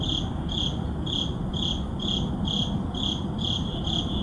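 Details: Crickets chirping at midnight in an urban neighborhood, captured with a Sony a7CII and ECM-M1 mic; shrill, evenly spaced chirps roughly two per second ride above a steady low-frequency traffic hum.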